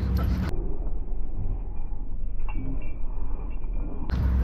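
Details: Low, steady rumbling like a vehicle engine, with brief muffled background sounds and no clear animal voice.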